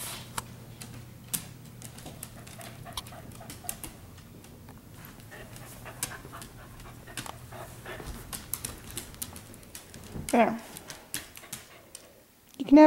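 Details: Pet dogs playing together in a living room at night, breathing in quick irregular pants amid soft scuffling thumps and paw clicks, with a short tonal whine breaking through near the end.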